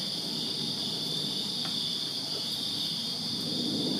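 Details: A Virginia backyard on a summer night, filled with crickets chirping in a dense, unchanging high-pitched pulsing ring, a weaker higher tone above it and a quiet low background hiss.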